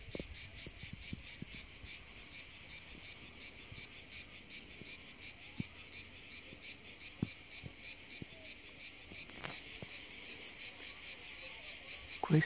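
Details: A cicada sings on the hills in summer, a continuous high buzzing rasp pulsed in rapid beats, growing louder and more sharply pulsed toward the end, with scattered faint clicks and rustles.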